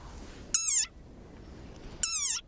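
A desert rain frog gives two shrill, squeaky cries, like a squeezed dog toy, when threatened.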